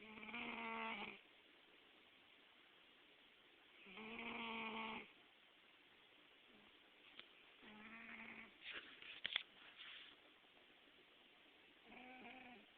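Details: Sleeping house cat Gambit, dreaming with twitching paws, July 2009: four rhythmic nasal snores, each about a second long and spaced three to four seconds apart, with a few small clicks and rustles midway.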